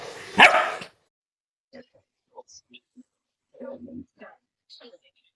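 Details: Pet Labrador Retriever, female, resisting bath time indoors, letting out one loud bark at the start, followed by quiet Tamil speech urging her to come in and bathe.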